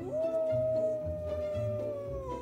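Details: Gray wolves (Canis lupus) in a captive pack howl as their alpha male leaves the enclosure, and he answers from over 90 m away. The howl is a long, steady tone that holds one pitch and then drops away, telling pack members where each one is.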